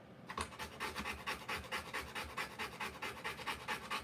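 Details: A Rottweiler giving birth pants hard and fast: after a brief quiet start, regular breathy puffs arrive about twice each second, rough and wide-ranging in tone.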